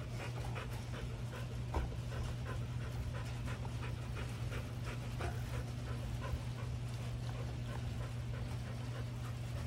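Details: A Rottweiler pants in quick, rhythmic breaths over a low, steady rumble during a standoff with another dog over a bone.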